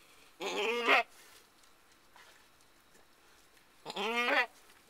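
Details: Female Alpine/Nubian goat named Mary, in labour with her first kid of the year, 14 May 2010, lets out two strained, nasal bleats about half a second long, spaced roughly three seconds apart over faint background hiss.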